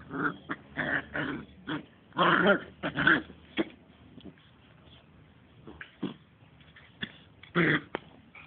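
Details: Smooth Fox Terrier puppies, two months old, playing: scattered throaty growls and short whimpering yips come in clusters, with quieter gaps and a final louder growl near the end.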